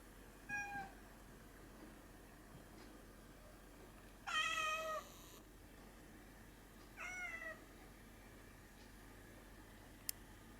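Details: Hatchan the pet cat meowing quietly indoors while darting after light reflections on the ceiling; three brief descending meows, the middle one loudest and longest, with a small click near the end and low background hum.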